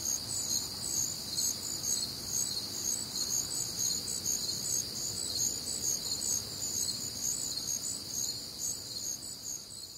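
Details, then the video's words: Crickets and other night insects singing together on a warm, humid Midwestern summer night, a high, continuous wall of pulsing chirps and ringing trills, evenly sustained with faint low background rumble. "Night Time Cricket Sounds"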